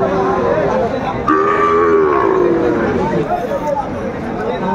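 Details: Sahiwal bull calves for sale at a crowded cattle market on 30 June 2024, farmer from Pabna buying: one sustained, slightly falling moo lasting over a second, set against constant market chatter and nearby bargaining voices.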